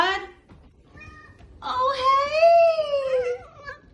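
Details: Domestic cat meowing indoors: one long, drawn-out meow that rises slightly and then falls, lasting about two seconds, preceded by a short vocal sound and followed by a person calling the cat over.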